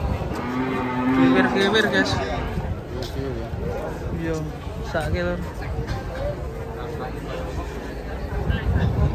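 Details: Cattle that slipped and broke a leg, lowing with harmonic moos amid background music and people talking.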